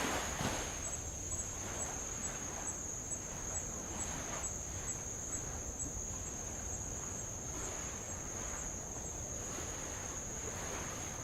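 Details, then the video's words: Insects near old lava shoreline on Avalau, Tonga, heard from a rowing boat circling the island: a thin, piercing, even-pitched drone holds for the whole stretch, with faint ticking above it and gentle waves lapping beneath. "sound of light Waves on old lava and Insects"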